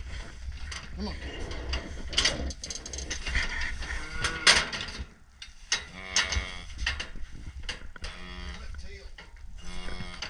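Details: Red Angus calves and cows during working and castration: several short harmonic moos in the second half, preceded by loud clattering and metal banging from handling equipment.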